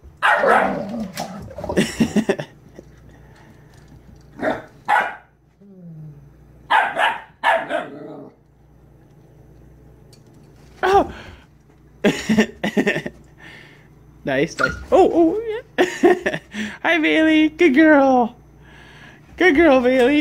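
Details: Eleven-week-old Siberian Husky puppy romping indoors with a Mastiff at day's end: scattered short barks and grunts, a brief rising whine, then bursts of high wavering yelps and yodel-like whines near the end, with gaps of quiet and a woman speaking.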